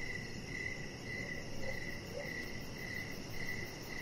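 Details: Outdoor evening cricket chorus near a deck, giving a few thin, high chirps spaced about half a second apart against a steady murmur of low noise.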